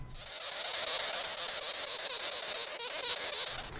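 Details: Sugar glider; crabbing; defensive threat when scared or startled, to intimidate predators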